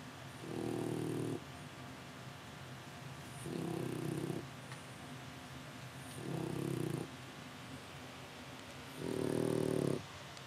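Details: French Bulldog puppy in Japan, sound asleep and snoring: four long, low rasping snores about every three seconds, each lasting around a second, with quiet breathing between them.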